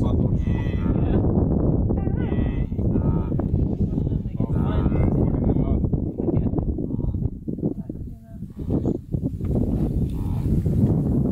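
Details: Blue wildebeest giving repeated nasal, buzzy honks, roughly one every two seconds in the first half, then softer scattered calls amid a heavy, continuous low rumble.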